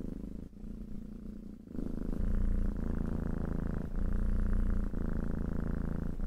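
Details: Cat purring close up, a loud, deep, vibrating rumble that shifts character with each breath, softer in the first second and a half, then fuller and steadier.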